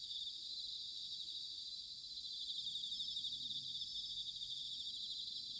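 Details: Bell crickets singing in autumn, recorded in Sanuki, Chiba, Japan, with a ZOOM H6 or TASCAM DR-05X: a dense, steady high-pitched ringing chorus with overlapping pulsed trills, faint low rumble beneath.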